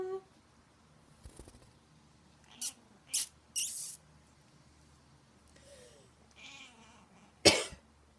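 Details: Pet cat named Soda meowing each time the owner coughs; several coughs followed by a short, rising meow near the end, with quiet room noise.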